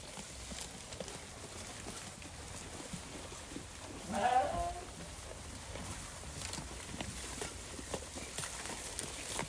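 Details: A flock of sheep eating grass: soft, scattered crunching and tearing clicks over a steady hiss, with one brief, louder mid-pitched sound midway.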